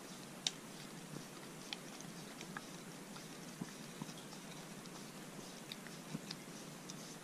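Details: A Corgi named Arthur chews a homemade dog-safe popsicle on a hot day. Scattered crisp bites and crunches, some sharper than others, rise from a quiet room background.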